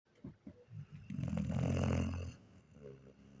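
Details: German Shepherd named Nika snoring while asleep: a deep, rumbling, low-pitched drone swelling over about a second and a half, with a few short soft snorts before it and a quieter rasp after.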